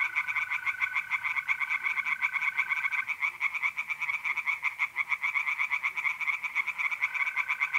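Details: Night in mid-April, north-east Italy: many tree frogs calling from a pond in quick, rattling pulses, while a mole cricket trills steadily, stopping after three seconds and resuming near the end.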